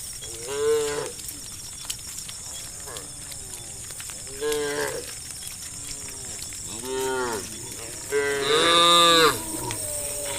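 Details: Evening village cow herd calling one another: four drawn-out moos spaced about two seconds apart, each arching up then down, the last loudest and longest, with steady high hissing in the background.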